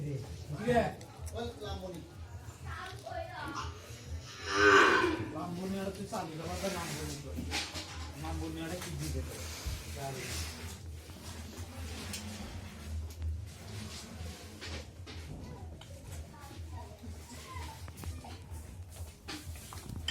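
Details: Brahman calf at A.T Agro & Dairy Farm gives a loud, harmonic moo near the fifth second, rising sharply then fading, with fainter lowing around it; people talk throughout and there is some background music and room noise.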